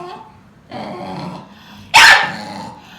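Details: Angry Akita growling at another Akita that pays it no attention: a low, rough, harmonic growl swells for about a second, then a sudden sharp bark bursts out, followed by a quieter rumbling tail.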